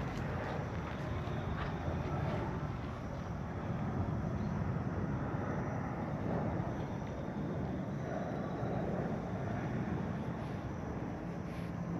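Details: Continuous broad outdoor rumble, like a distant aircraft or traffic over open ground, with no animal calls standing out.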